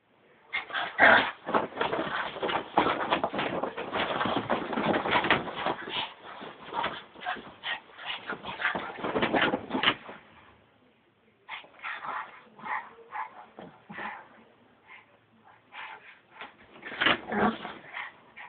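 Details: Excited Brussels Griffon dog making a fast, uneven stream of yips, whines and grunting bursts for about ten seconds, then a short pause and sparser, quieter yelps toward the end.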